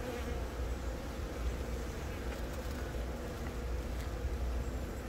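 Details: Continuous droning of worker honey bees on the comb as a virgin queen from the first natural swarm of the year begins laying, Yongin Baegam, Korea, April 20, Galaxy Note10; even, unbroken low buzz throughout.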